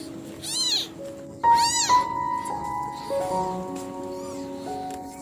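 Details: Abandoned female kitten with swollen eyes crying alone at night; two strong rising-and-falling meows early on, then only background music and a faint distant mew.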